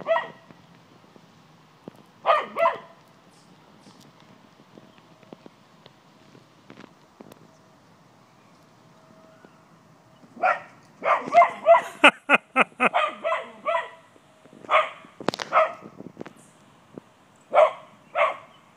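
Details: Gladys the cocker spaniel confronts a white-tailed deer in a yard, barking to drive it off: scattered barks, a pause with a low steady hum, then a rapid flurry of many clipped barks and yips before slower pairs.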